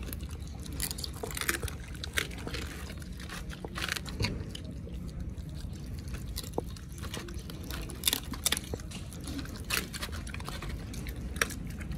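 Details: Wet chewing, biting and tearing of raw meat with dripping liquid sounds, in steady irregular bursts.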